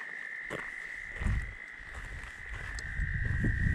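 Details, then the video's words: Chorus of tree frogs at Steusser Lake, Michigan, very loud at a roadside stop: a steady high trill runs throughout beneath heavy low rumbling wind noise and some scattered thumps. "Michigan with tree frogs singing"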